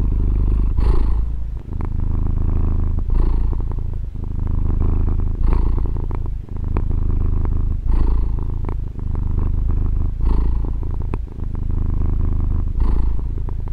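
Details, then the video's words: Continuous low purr from a female house cat, captured with a Tascam DR-40 recorder. Deep vibrating hum broken into even cycles about every 2.4 seconds, each marked by a brief airy inhale, in a quiet setting. "Fusa di Gatto ASMR | registrazione con Tascam DR-40 gatto che fa le fusa"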